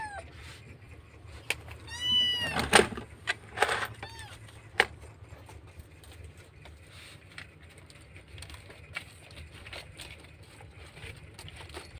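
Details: Kitten crying loudly, missing its mother, in a rescue setting in Indonesia; a couple of rising-falling high meows with rich harmonics around two to three seconds in, then a quieter one near four seconds, over low background rumble and faint noises.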